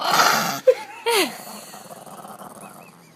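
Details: Chihuahua, angry while sitting in a laundry basket, lets out a rough half-second growl, then thin whining tones and another short snarl before fading into rustling.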